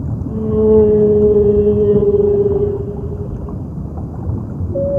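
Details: A whale, possibly a blue whale, in an eerie recording used as background to an artwork about lockdown. A long, steady, tonal moan with bright harmonics fades after three seconds over a low rumbling wash, and a brief higher tone enters at the end.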